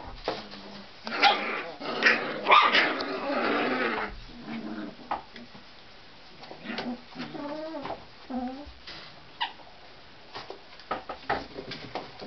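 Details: Tibetan Terrier puppies, born October 23, start with rough growling and yapping, then settle into wavering whimpers and scattered small yips as the tussle quiets down.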